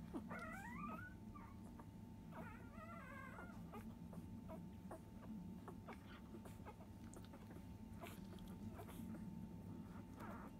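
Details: Five-day-old field-type Labrador Retriever puppy, a litter of biscuit, nursing at 10 a.m. indoors. Two high, wavering squeals near the start bend up and down, followed by soft clicking suckling noises over a steady low hum.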